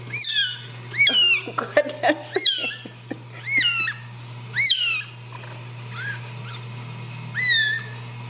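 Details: Ragdoll kitten being returned to its nest and mother at a central Kansas home cattery mews insistently. Sharp, high, arching cries come in quick bursts, mixed with handling clicks and rustles.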